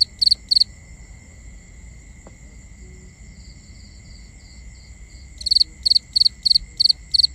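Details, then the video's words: Nighttime crickets in binaural recording, two quick high chirps, a quiet stretch with only faint distant chirping and steady insect hum, then a renewed run of six rapid pulsed chirps near the end. "Cricket Conversations | Binaural Nighttime Ambience"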